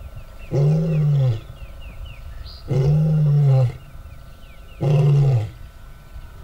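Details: Two male lions, their territories divided by a fence, with the more mature lion asserting dominance over the younger one. Three deep, drawn-out roars of about a second each come roughly two seconds apart. Faint bird chirps sound in the background.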